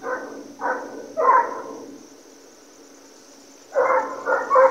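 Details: American Foxhounds chasing deer during a hunt: a few hoarse, ringing bays, then a short lull, then a fresh burst of loud, overlapping baying from the pack.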